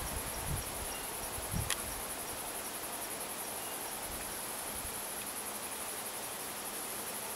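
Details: Cicadas in a rural area sing a steady, high, shimmering buzz that pulses slightly and never stops.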